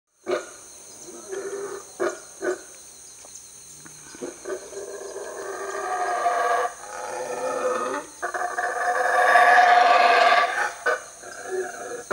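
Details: Guatemalan black howler monkey (Alouatta pigra) in the jungle of Mexico gives deep, rasping roars that swell into a long, loud, deafening chorus.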